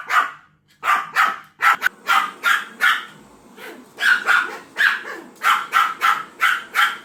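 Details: Pet Pomeranian reacting to a vacuum cleaner with a continuous run of sharp, bright yaps, often in quick pairs, around two per second throughout.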